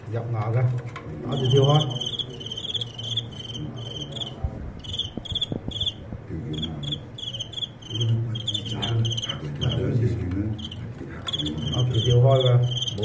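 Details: Fighting crickets in a match where the apparent winner loses in the end. Bright pulsed chirps come in rapid trains with short gaps. Cantonese commentary and handling noises run underneath.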